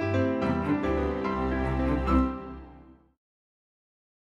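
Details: Soft instrumental music with piano plays for about three seconds, then fades into silence.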